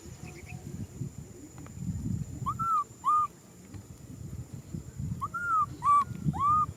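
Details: Young macaque crying for a hug, giving thin arched cries in two bursts, two and then three calls, each rising and dropping, over low rustling and handling sounds.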